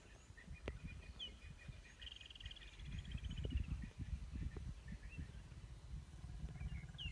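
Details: Lions facing off growl in a deep, grating rumble that swells after the first few seconds and keeps pulsing, accompanied by a single trilled bird phrase and scattered chirps.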